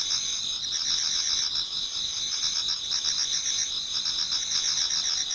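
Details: Many insects singing in an autumn Japanese garden towards dawn: a dense high shimmering trill with fast repeated chirp pulses beneath it, steady and uninterrupted.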